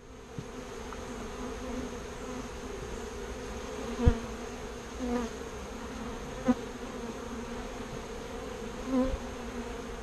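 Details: A continuous low hum from a colony of bees as they are moved from a birdhouse into a bee box, punctuated by a few soft knocks and thuds from handling.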